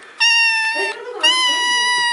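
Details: Cat letting out two long, loud, steady meows nearly a second each, bright and nasal, with a short gap and soft lower sounds between them.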